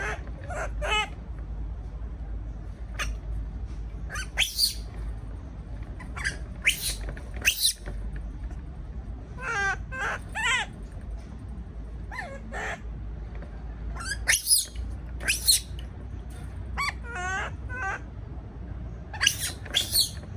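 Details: A frightened baby monkey, caged and left on its own, cries in repeated shrill squeals and screeches, several rapid wavering bursts clustered together, with a constant low rumble underneath.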